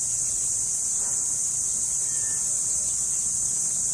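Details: Cricket, known locally as kuliglig, in a mountain setting: a continuous, very high-pitched shrill ringing trill holding steady throughout, with little else audible.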